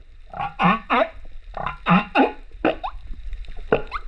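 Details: Rurutu humpback whale singer, male, recorded by GoPro on 28 September 2024: clustered harmonic wails and grunting cries, two or three per burst, repeated about every second, closing with a brief rising squeal.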